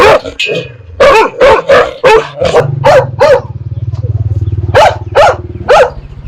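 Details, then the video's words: Dogs barking fiercely at strangers, alongside puppies barking at familiar people; quick bursts of sharp barks, some in threes, over a steady low engine hum in the middle. "Sounds of DOGS and PUPPIES barking"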